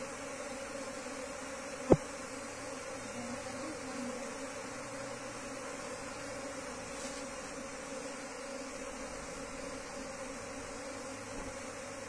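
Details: Wild bee colony being moved into a cultivation hive box, giving a steady, droning hum of many wings that holds an even pitch throughout, with one sharp click near the start.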